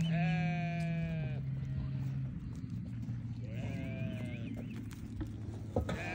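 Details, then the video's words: Newborn lambs bleating: a long wavering bleat for over a second, then a shorter quavering one after a pause, both over a steady low hum and background noise. "Newborn baby sheep so beautiful"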